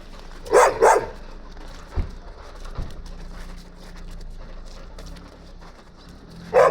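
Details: Stray Gampr on a street in Abovyan, Armenia, owner unknown: a quick pair of barks opens the recording, then a long stretch of quiet street noise with soft knocks, and one more bark at the very end.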